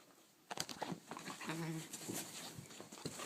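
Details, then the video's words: Two-month-old Saint Bernard puppy indoors, hiccuping and barking: a few sharp clicking bursts, then one short, low, tonal bark-like sound held about a third of a second, followed by softer rustling and handling noise. "Saint Bernard puppy hiccups and barks"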